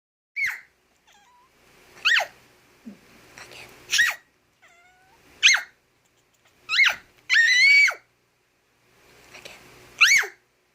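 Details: A domestic cat, annoyed by a high-pitched noise while sleeping, gives short sharp rising-falling cries, about six bursts spaced one to two seconds apart, one longer wavering wail near the end, faint thin tones between them.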